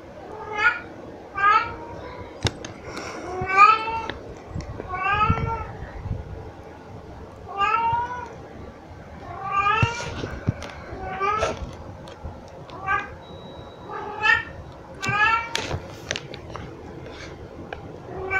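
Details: Pet cat, a very vocal one, meowing while carrying cat toys around indoors; a long series of clear rising-falling meows, about a dozen, coming in bursts every one to two seconds, with some soft thumps.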